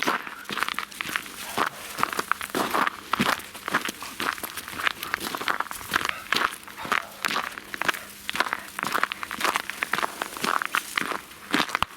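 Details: No animal voice; continuous crunching footsteps outdoors, steady and dense throughout.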